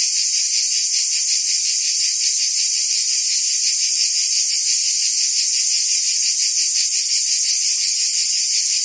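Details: Provence cicadas in summer, France, filling the air with a steady, piercing high buzz, rapidly pulsed and level in volume, nothing else audible.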